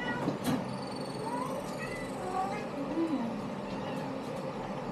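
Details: Kittens in a litter let out soft, brief meows, a few high and falling with one lower, shorter squeak, scattered across a few seconds against steady low hum and light knocks.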